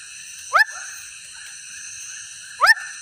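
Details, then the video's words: Swamp frog giving two short, sharp, rising chirps about two seconds apart over a steady, high droning background. "The Sound Of a Swamp Frog"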